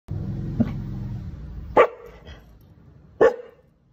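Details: Mixed-breed rescue dog, two years old, in Simpang Ampat, Penang, Malaysia, giving short sharp barks: a soft one, then two loud single barks roughly one and a half seconds apart over low rumbling background noise.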